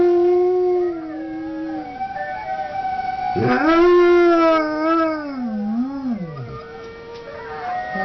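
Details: Howling dog: a steady held note that sags, then a loud new howl rising abruptly, wobbling and dipping before fading, with bright harmonics throughout.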